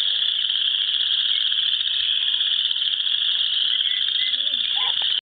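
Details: Many frogs trilling together at dusk in spring by a South Dakota pond with geese, an unbroken high-pitched wall of sound, faint brief whistles and chirps appearing near the end.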